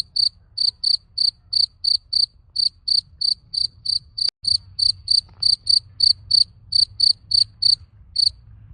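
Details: Chirping cricket found on a plot in summer: evenly spaced shrill chirps about three per second, with a sharp click and a momentary dropout midway, then the chirping continues over a low background hum.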